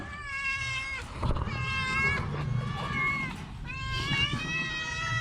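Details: Orange house cat suffering from a cough and cold, meowing three times in long, drawn-out, tonal cries of about a second each, rising then falling, over a low rumbling background noise.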